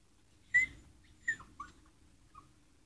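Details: Young adolescent female dogs at a kennel, described as learning. A few short, high whimpering squeals: the first is the loudest, followed by softer, falling yelps near the end over a quiet background.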